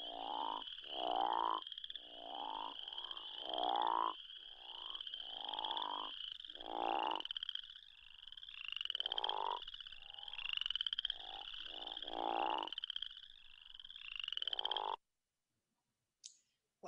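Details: Arkansas crawfish frog calling amid a mixed chorus with spring peepers and other chorus frogs. Grating, snore-like croaks rise in pitch and repeat about every second over a constant high peeping trill, then stop abruptly near the end.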